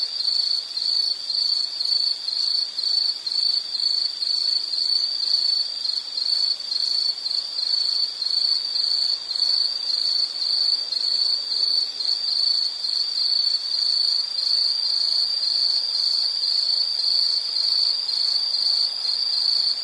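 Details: An insect sounds an even, rapid chain of high chirps, several each second, keeping a regular pace throughout and never pausing.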